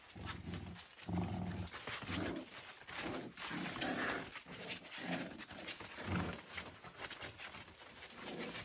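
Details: Lancashire Heeler puppies playing with their mother at night before bed: a run of low, throaty growls and grumbles roughly every second, mixed with panting and scuffling movement noise.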